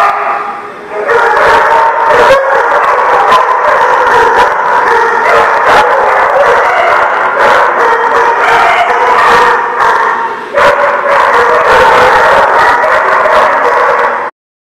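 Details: Many dogs barking together at once, a loud overlapping chorus of sharp barks and yelps that runs almost without pause for the whole stretch, ending abruptly.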